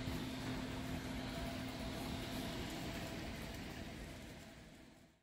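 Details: An even mechanical hum, like an appliance or air conditioner, slowly fading out with no animal sound.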